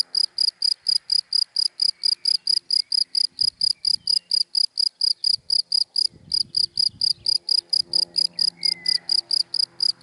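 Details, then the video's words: Daytime cricket in dry grass producing rapid, evenly spaced high chirps, about four each second, with faint traffic rumble midway and a brief soft whistle near the end. "Sound of Cricket in Dry Grass in the Daytime"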